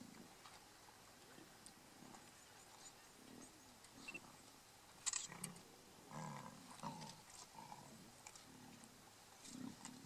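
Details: At a buffalo carcass in Kruger National Park, lions from a mega pride fight over the meat; deep snarling growls pulse irregularly, thickening into a run of rough bursts in the second half.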